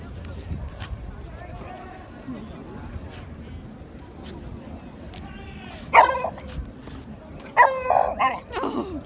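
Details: At the Van Gogh Museum in Amsterdam in 2017, a Beagle howls at a Samoyed, giving two loud, brief, harmonic howling bursts over quiet background chatter.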